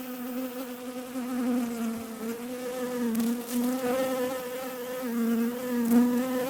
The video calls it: Bees Sound Effect